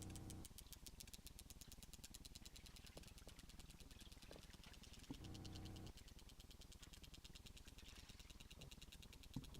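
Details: A sperm whale's rapid clicks, picked up by a boat's hydrophone: a dense rattling burst known as machine gunning, made while chasing food.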